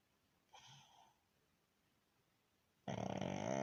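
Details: Pug Baron resting and snoring: a soft, short snort early on, then near silence, then a sudden loud, buzzy rattling snore that starts near the end and runs to the cut.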